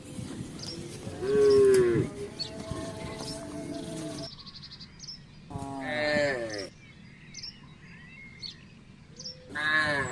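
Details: Village cattle herd crossing a housing estate in search of grass and water; drawn-out low moos with rich stacked harmonics around one to two seconds and again near six seconds, a short bleat at the end, faint bird chirps between.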